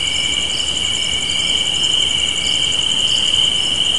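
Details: Chirping crickets on a spring evening porch make a dense, even high trill, with a faster pulsed shimmer above it. The sound is steady for the whole short stretch.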